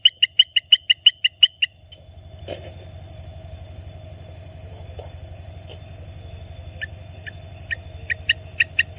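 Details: A Baramica frog (Hylarana baramica) sings its advertisement call, a quick series of short, sharp chirping notes over a steady high insect whine.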